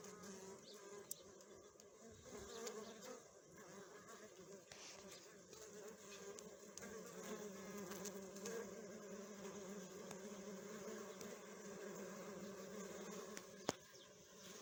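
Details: Many Western honey bees at a hive give a steady, droning hum, with low tones wavering continuously.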